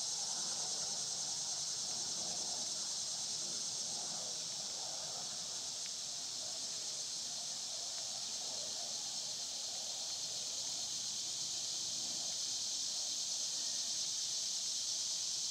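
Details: Continuous summer cicada chorus, a dense high buzzing wash that never pauses, with soft scattered mid-pitched outdoor sounds underneath.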